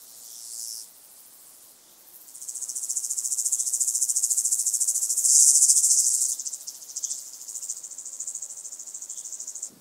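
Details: Song of a White-headed Toothed Grasshopper, Sandberge Oberweiden, Austria, 15 July 2020: a brief buzz, a pause, then a long rising run of high pulsed rasping that swells, fades and trails off unevenly.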